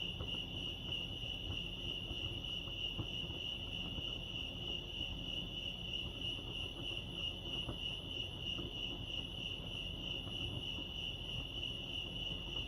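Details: Continuous cricket chorus at Lake Arrowhead, California: a bright, even, high-pitched pulsing trill that never pauses, set over quiet low background hum.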